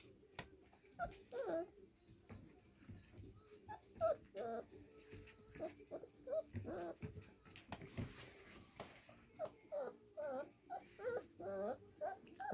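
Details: Four-week-old Irish Wolfhound puppies indoors just after a feeding on July 13, 2023. Their high, wavering whimpers and squeals come in short bursts every second or so throughout, with occasional human speech.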